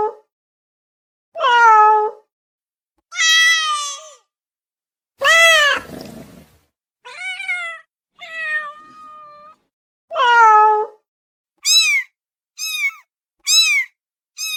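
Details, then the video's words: Meowing domestic cat seeking immediate attention; nine calls, one rough and strained, the rest clear and bending downward, ending with four short, high-pitched mews in quick succession. "SOM DE GATO MIANDO"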